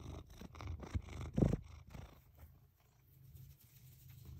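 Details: Astro the cat purring in the morning while face planting a hydrangea in the bathroom; a low, rapid rumbling purr pulses steadily for about two seconds, with rustling contact noises, then fades to quiet room tone.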